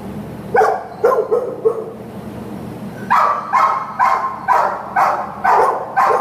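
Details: Shelter American Pit Bull Terrier barking: a few softer yips early, a short pause, then a steady run of six loud barks about every half second.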